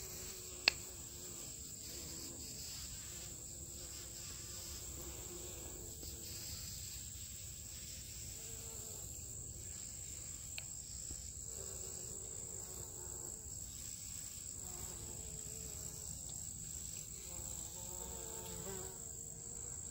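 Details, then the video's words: Bees buzzing around liriope blooms at Aullwood MetroPark; low, droning hums swell and fade as insects pass, over a steady high-pitched whine and faint background rustle. "Liriope Blooms and Bees"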